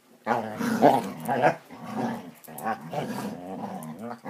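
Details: Playing Basset Hounds indoors, a continuous rough growling with wavering pitch, rising and falling in loudness over four seconds.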